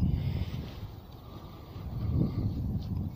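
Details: Outdoor wind rumble and low background hum during a walk, with no distinct animal call.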